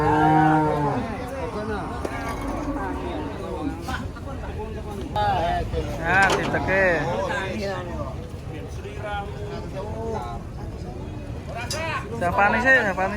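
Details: Emaciated cattle, little more than bones, brought to market and seemingly tired, give a loud sustained low moo, then further arched lows over chatter, clapping and music.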